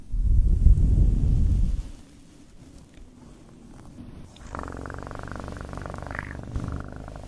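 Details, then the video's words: Close, loud low purring from a cat for nearly two seconds, then a softer, steady purr resumes after a quiet pause. "1 Hour Of Best PURRING sounds"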